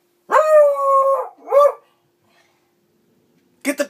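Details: A beagle bays at a mounted boar trophy hanging on the wall after a hunt, with a drawn-out tonal bark, then a shorter yelp and another brief bark.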